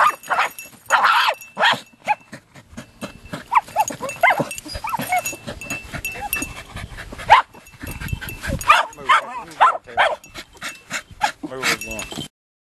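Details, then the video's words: Jagdterriers Luco and young Effie working an armadillo during hot drought conditions; a busy mix of barks and yips, some overlapping, with rustling scuffles and people talking in the background. "Jagdterriers Luco and Effie working armadillo"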